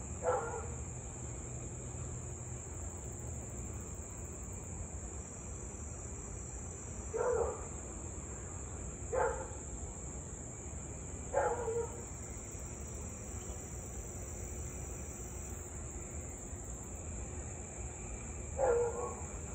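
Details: Louisville Husky barking nonstop for almost 30 minutes at 6:24 pm, August 3, 2021. Five distant single barks at irregular gaps of two to seven seconds, set against a steady high insect chorus and a low hum.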